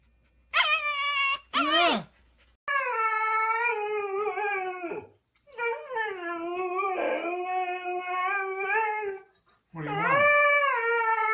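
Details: Siberian Husky 'talking' indoors: two short yelping wails, then long drawn-out howls that hold steady before dipping and rising again, with brief pauses between; a fresh rising howl starts just before the end.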